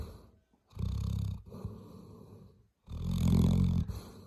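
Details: Labrador Retriever snoring, with low vibrating snorts and raspy breaths in two long loud bursts and a quieter breath between them.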